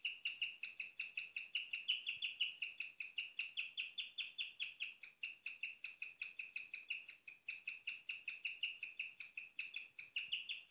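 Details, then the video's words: Female guinea pig kept as a pet chirping at night, a seldom-heard vocalization: long rhythmic series of high, bird-like tweets, close to three per second, pitch wavering slightly, quiet surroundings. "Chirping of my sweet #guineapig"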